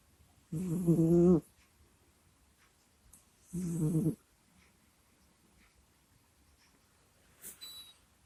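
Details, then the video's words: Kusya the cat snores in its sleep near a microphone, giving two loud, throaty, vibrating breaths roughly three seconds apart, followed by a softer short snuffle; little else is heard indoors. "Прикольный Кот Куся Сопит, Храпит, Стонет и Кряхтит во Сне в Микрофон"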